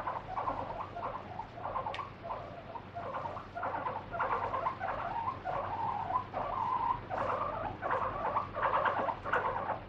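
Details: Pet guinea pig, kept free-roaming indoors, screams while its feet are wiped with a wet tissue during a body check. It gives a steady series of squealing, wavering cries, roughly one or two each second, with no pauses.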